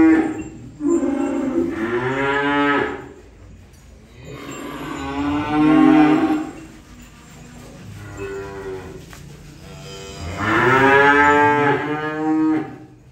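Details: Cattle being unloaded, lowing three times in about thirteen seconds: each moo a long, drawn-out, harmonic call rising then falling in pitch, with quieter murmuring gaps between.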